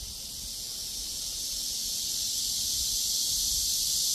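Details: Cicadas fill the air with a steady, high, hissing drone that never pauses, while a cool wind blows.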